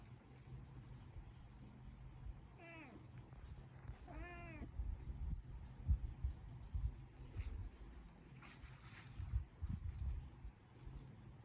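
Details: A two-toned cat, seen with a lizard, gives two short meows about two seconds apart, each falling and slightly wavering, over a steady low hum with soft rustles and thumps afterward.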